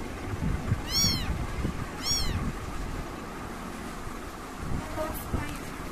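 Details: British kittens: two sharp, high mews a second apart, then only faint traces of calling amid low rumbling background noise.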